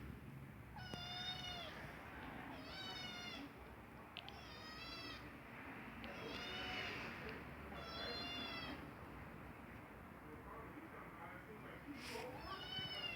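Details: Young kitten crying out when it has to go poop, giving about six drawn-out harmonic meows spaced roughly every second or two, some wavering, with a person talking softly between them indoors.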